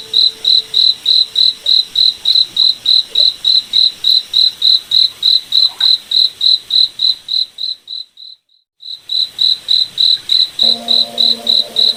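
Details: A cricket in a forest at night chirps in a fast, regular series of high pulses. The sound briefly drops out near the middle, then resumes with a faint low tonal hum underneath.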